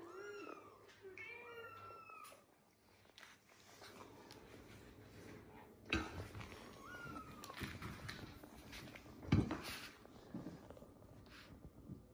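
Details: Mother cat calling her kittens: a quick run of short, high meows bending up and down in pitch at the start, one more drawn-out meow later, with rustling, soft thumps and faint background noise between them.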